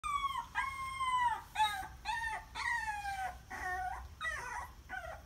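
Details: Puppies crying: high tonal whines with clear harmonics, each arching then falling, repeated about once per second across several overlapping voices.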